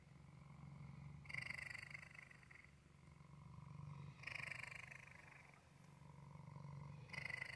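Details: Waffle, a male cat, purring in a low vibrating hum. Brighter, rasping bursts return about every three seconds between quieter stretches, tracking his breathing.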